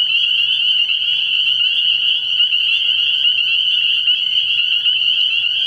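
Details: Spring peepers in full night chorus at a frog pond in early spring: countless high, bright peeps overlapping into a continuous ringing drone, even in level from start to finish.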